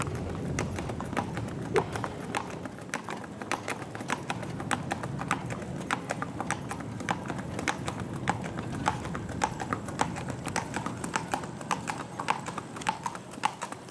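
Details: Bay Tennessee Walking Horse with a young rider on an East Texas trail ride near Marshall, Texas: sharp hoof clip-clops on hard ground, about a hundred per minute in a loose, uneven rhythm, with faint voices behind.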